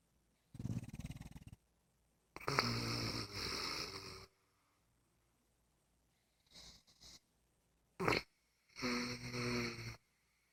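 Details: Libby, a female English Bulldog lying on her back in bed, snores in loud, rasping bursts separated by quiet pauses.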